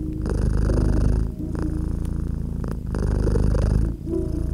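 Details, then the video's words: Cat purring contentedly by a crackling fireplace on a cozy winter evening. A thick, low vibrating rumble alternates between stronger and softer phases about every 1.3 seconds, broken by short pauses, with light fire crackles and a soft musical drone. "Relax with Purring Cat and Crackling Fireplace"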